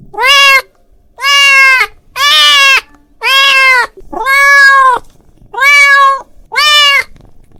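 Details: Calling to a friend, a domestic cat gives seven strong, evenly spaced meows about once a second, each a bright, nasal wail with many harmonics that swells and then slightly drops in pitch.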